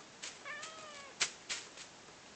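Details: Male house cat asked to say "kva" gives one drawn-out, fairly quiet meow that holds a steady pitch before tailing downward, followed by a few sharp knocks or clicks in a small room.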